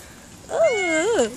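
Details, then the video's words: Domestic cat meowing in cold, rainy weather: a single drawn-out harmonic meow, rising then dipping and rising again over about a second, clear against a quiet background. "cats meow because the weather is very cold and raining"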